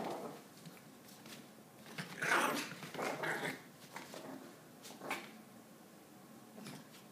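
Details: Maltese named Josh spins around on a yoga mat on his own, giving a short gruff growl midway followed by fainter grumbles and scrabbling paw noises in a quiet indoor space.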